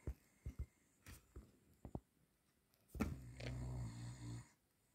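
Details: A male Cavalier King Charles Spaniel, asleep in the evening after a run in the garden, snores with soft, low snuffles and then one long rumbling breath.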